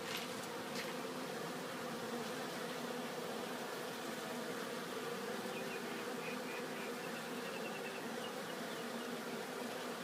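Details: At Glen Bee Farm, honeybees return to their hive laden with pollen, producing a thick, continuous droning hum from many bees at once, with faint ticking sounds scattered through the swarm noise.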